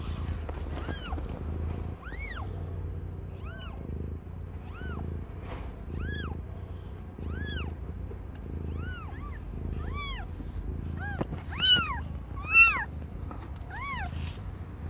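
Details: Young domestic cat Aimee giving birth to five kittens; a long run of short, squeaky, arching meows repeats roughly every second, growing louder and more crowded toward the end, over soft low hum.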